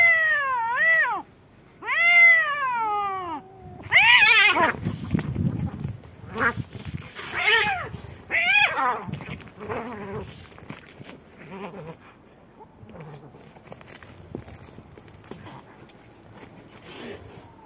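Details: Two domestic cats, white and black, fighting: two arching yowls, then a burst of harsh hissing and spitting, followed by choppy, broken squalls and scuffling noises that fade toward the end.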